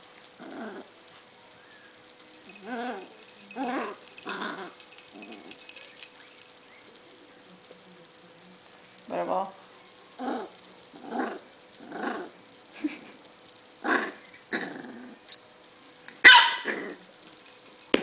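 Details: Being tickled on the stomach, pet dog Butterball grumbles in discomfort: a run of short throaty growl pulses spaced about a second apart, with a rattling hiss early on and a sharp clatter near the end.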